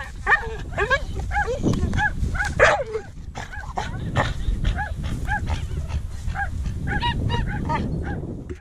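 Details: Pit bull during coursing, yelping without pause in a rapid run of high, arched barks, two to three each second, over a steady low rumble of background noise.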